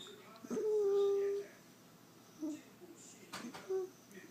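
A Shih Tzu gives a long, steady, slightly falling whine, then short soft whimpers, begging for food.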